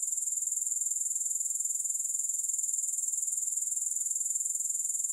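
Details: Unbroken grasshopper stridulation without music: a thin, very high sizzling trill with a regular beat of roughly two pulses each second, steady and unchanging throughout.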